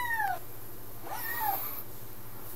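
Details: Two meows from Gadget, a talkative 10-week-old Highlander kitten settling into a new home on its second day: a falling tail of one call at the start, then a full arched meow a second later over low indoor hum.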